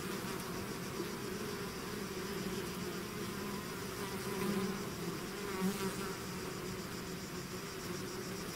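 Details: Swarming bees out of the hive, a dense continuous drone with individual insects zipping close around four and six seconds, their buzz swelling then fading back into the mass.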